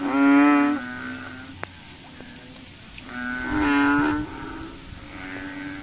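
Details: Frogs calling at night while hunting mosquitoes: deep, nasal, mooing notes about a second long from several overlapping callers, each call loud then fading, with a steady high insect-like hum behind them.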